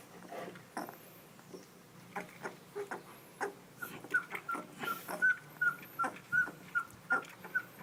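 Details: Puppies indoors: a run of short, high, thin whimpers or squeaks, about one every half second, over soft scuffling and thumps.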